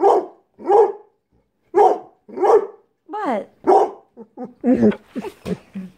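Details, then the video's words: Pit Bull dog vocalizing to ask to go outside: clipped barks and warbling, moaning yowls that bend up and down, delivered in quick uneven succession, with human voice mixed in. "Pit Bull talking"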